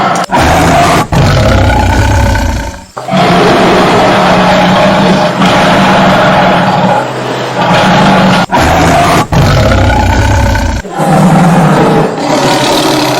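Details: Tiger roaring loudly and continuously, a rough, broadband growling roar held for several seconds at a time, broken by brief sharp silences near the start, middle and end.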